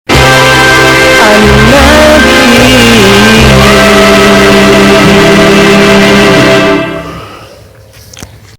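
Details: Loud amplified music with singing and keyboard organ accompaniment, holding steady for about seven seconds before cutting off into quiet room noise; no animal calls.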